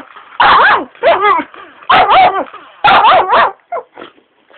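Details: Shiba Inu pestered by its owner lets out rapid, loud, wavering yelps in clustered bursts, pitch sliding up and down, ending in a few softer short cries.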